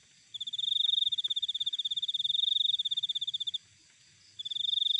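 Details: Cricket from a natural setting, producing a high, buzzy pulsed trill lasting about three seconds, a brief pause, then another trill starting; steady fast pulse rate and soft low ambient noise beneath.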